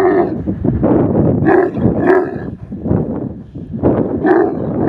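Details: Desert camel grumbling in low, rough pulses, with several louder gurgling bursts rising above a constant rumbling undertone.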